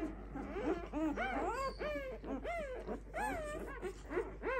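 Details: Litter of Clumber Spaniel puppies, five days old, giving thin, bent whimpers that swoop up then down, several pups overlapping in quick succession, some calls higher and squeakier than others.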